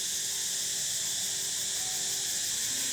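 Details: A dense chorus of many unseen cicadas in King Rama IX Park, Bangkok, makes a steady, high, hissing buzz that never lets up while people stroll the shaded park paths; nothing is blooming.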